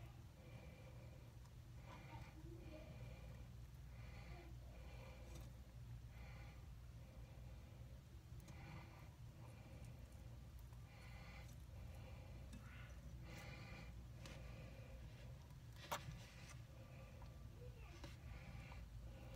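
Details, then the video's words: Andy, a pet bearded dragon, making weird noises indoors: a quiet series of short, breathy, wheezing snorts with a faint tonal edge, repeated roughly once a second in uneven bursts, over a low steady room hum. "My Bearded Dragon Andy Making Weird Noises"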